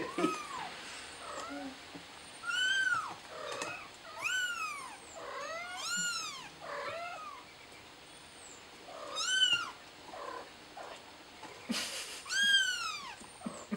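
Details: Kitten calling for help, stuck up on a plant, crying in a long series of high arched meows, some quick and clipped, others drawn out, with brief pauses and a rustle near the end.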